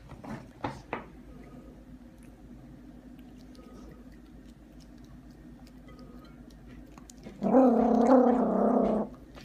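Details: A 5 lb Yorkshire terrier growling while eating gives a steady, rumbling growl lasting over a second, rough and buzzy with a clear tonal core. A few soft knocks come before it, and a person speaks nearby.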